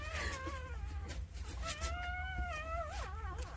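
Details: Nine newborn Jindo puppies, two days old, with their mother Sarang-i looking after them. Repeated high, wavering squeals and whines, several long and drawn out, one bending sharply near the end, over low background hum and soft clicks.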